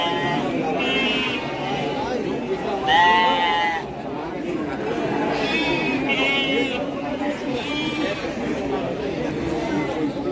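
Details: Several Garut sheep bleating at Pasar Andir market, Bayongbong, Garut, where breeding stock is sold: a loud quavering bleat at about three seconds, then shorter bleats follow, all against busy human chatter.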